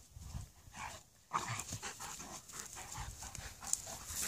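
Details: A Malamute and a Husky play fight in good humour: quiet low grumbling opens, then after a sudden loud burst come rapid huffs, panting and rasping growls mixed with scuffling noise.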